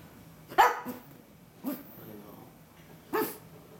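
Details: A pug gives three short, sharp barks spaced about a second or more apart, set off when her owner keeps mentioning the cat she hates.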